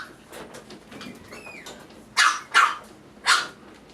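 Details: Male toy poodle puppy from a Tokyo-area breeder, indoors: after soft shuffling and a brief thin rising whine, three sharp, bright yappy barks follow in quick succession, the last after a short pause.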